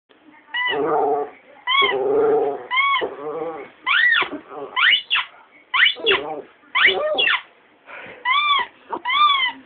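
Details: Female pet dog singing along to a talking Tony Blair toy. She is known to howl along with a ringing phone. Short rising-and-falling whining howls come in bursts about a second apart, mixed with the toy's voice-like sounds.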